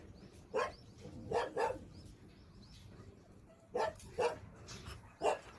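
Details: At a dog shelter during a Sunday volunteer day, sharp barks come in pairs and singles about a second apart, separated by quiet pauses, with faint chirping in the background.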